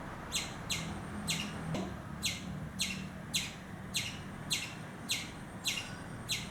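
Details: A frightened squirrel gives sharp, harsh alarm chips, repeated about twice a second.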